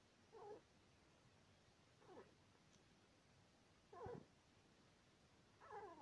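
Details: Asleep, the male Syrian hamster Sweetpea, two years two months old, gives four brief grating squeaks spaced almost two seconds apart, a steady snore-like rhythm over faint room hiss.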